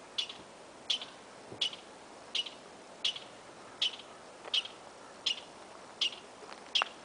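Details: A squirrel in Yosemite, an unusual call, possibly from a male, according to the observer, gives sharp, high chirps, one about every three-quarters of a second, in a steady series.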